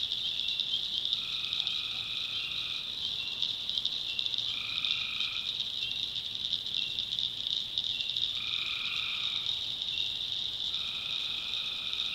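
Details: A nighttime swamp in the North Carolina backwoods, where tree frogs form a constant piercing high chorus; four lower, sustained nasal notes break in at irregular intervals.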